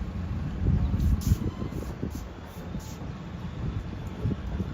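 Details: Low rumbling vehicle or train-like noise with irregular thumps and steady background hum, no animal voice heard.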